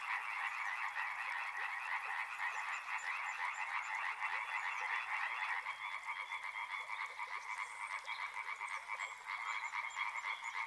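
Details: Frogs by a river form a dense, steady chorus of rapid pulsed croaks that overlap continuously for the whole stretch without pause. Faint thin high tones drift above the throng.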